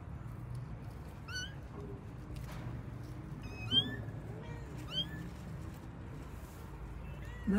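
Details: Kittens of a pet cat family, looking for their mother, let out scattered high rising mews at irregular intervals against a low background rumble, with faint voices nearby.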